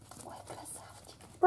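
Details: Chihuahua puppy from a litter born 5 April 2019 at a Moscow-area kennel gives one brief, loud, tonal squeak with stacked harmonics at the very end, after a second of quiet indoor murmur and soft speech.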